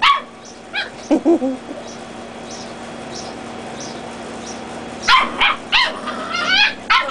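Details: Play-fighting Dachshund puppies, reds versus black and tans. A few squeaky yips and a lower grumbling bark open the clip, followed by a quieter lull. It ends in a rapid run of shrill, wavering yelps.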